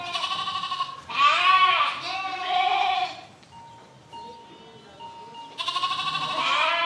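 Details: Sheep bleating in loud, harmonic-rich wavering calls, two long bleats early, a steady faint tone in a quieter gap, then another strong bleat breaking in near the end.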